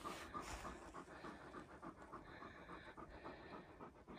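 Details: Rhythmic, quick panting from Irish Wolfhounds during a walk with the hounds across reservoir, moorland and woodland. Short breathy puffs come about three to four per second, evenly spaced, over soft outdoor background hiss.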